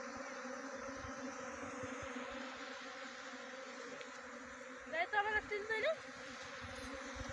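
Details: Honey bee swarm being trapped at Khokti Marlau, Chakrata, Jaunsar Bawar, Dehradun, Uttarakhand: a steady, droning hum with layered even tones throughout, joined briefly by a higher warbling sound near the end.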